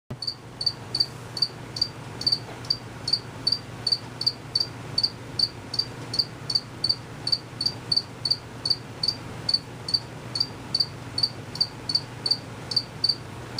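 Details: Crickets chirping unseen, calling males, with short sharp pulses near 4.5k repeated about two to three times per second in a steady run, faint low hum underneath.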